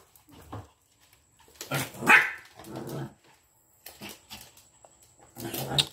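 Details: During an intense yet funny fight between a Jack Russell and a Lhasa Apso, harsh growls and snappy barks come in clusters, loud noisy bursts separated by short pauses, with a constant high-pitched electronic tone behind.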